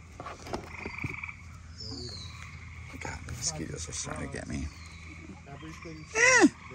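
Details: Gray treefrogs give faint, steady trilled calls in season outdoors, heard during a release of nine-month-old head-started turtles, behind a person talking.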